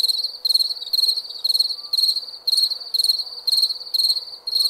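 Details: Crickets at night giving shrill pulsed chirps, each burst lasting about half a second and recurring roughly once a second, over a constant thin high trill.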